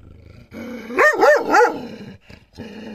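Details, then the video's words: Dog facing a mirror gives three strained, rising-and-falling barks that run together in a tight burst, then a short pause and a softer sound. "the dog vs mirror الكلب و المرآة"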